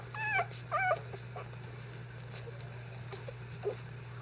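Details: Five-day-old Icelandic Sheepdog puppies, disturbed during a bedding change, let out two quick high whimpering squeals near the start, then only faint soft squeaks over a steady low hum.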